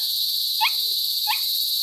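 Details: Noisy crickets (kuliglig), a constant shrill high-pitched drone, with two brief rising chirps from another source partway through.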